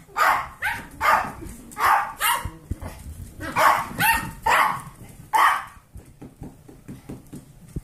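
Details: Kirby, an 8-year-old foster Pomeranian, playing with a litter of 8-week-old golden retriever mix foster puppies; a run of about a dozen short, sharp barks and yips in quick irregular succession, with scuffling and play noises.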